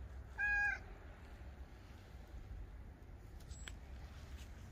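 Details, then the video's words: Domestic cat meowing once: a brief, clear, steady-pitched mew rich in harmonics, followed by quiet room hum and a faint click. "Cat Meows!"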